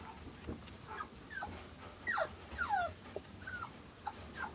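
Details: Newborn silver Toy Poodle puppies, two days old in August 2011 and with their mother Cleo, utter short, falling squeals and whines. Several thin cries drop steeply in pitch, spaced irregularly over a few seconds.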